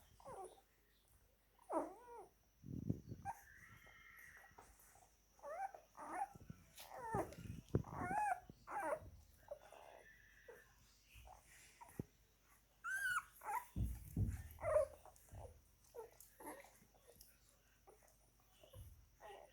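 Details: Nine-day-old German Shepherd / Belgian Shepherd puppies drinking milk: frequent short squeaky whimpers and wavering yelps from several pups, over low thumps, rustling and a faint steady hum.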